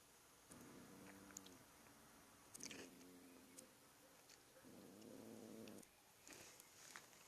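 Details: Pet cat making a weird noise indoors: three droning, harmonic, moan-like calls, each about one to one and a half seconds long, spaced about two seconds apart, with faint clicks and background hiss.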